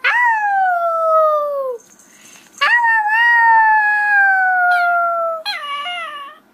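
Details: Young puppy howling: two long, steady, gently falling howls of one to three seconds each, bright and harmonic, ending in a short higher yelp, with faint room noise and a woman speaking Hindi with laughter afterwards.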